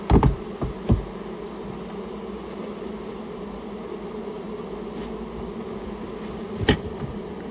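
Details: Colony of Japanese honey bees being cleared out of a storehouse where it had nested: a steady, unbroken low hum of the swarm, with a few loud thumps at the start and one knock toward the end.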